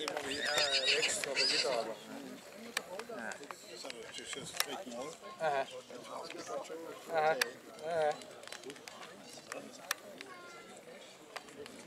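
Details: At the St. Märgen foal show in Germany, 11 August 2022, a Black Forest draught horse gives a loud shaking whinny at the start, followed by shorter wavering neighs later, with people talking and hoof clatter throughout.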